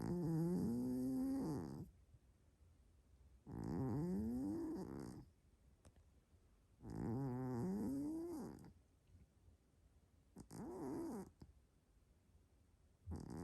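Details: Snoring Maine Coon cat Hélios, fast asleep: four rough, rumbling inhalations, each swelling and rising in tone then stopping sharply, spaced about three to four seconds apart, with quiet room tone between.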